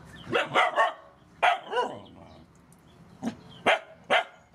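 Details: Rescue dogs, mother dogs with puppies, at feeding time: several sharp, noisy barks and yips in short bursts, a quick pair near the start, then single barks spaced about half a second to a second apart.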